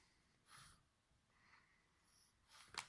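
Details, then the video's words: Sleeping bulldog puppy snoring in a quiet room, with soft airy snorting breaths roughly every half second to second and a sharper sniffing snort at the end. "Snoring bulldog puppy"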